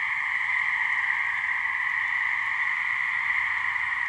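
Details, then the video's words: Wild gray treefrogs calling to mate at a New Hampshire swamp, a couple of frogs: continuous buzzy trill at two stacked pitches, level and unchanging across the whole stretch, no other clear sounds. "Gray Treefrog mating call"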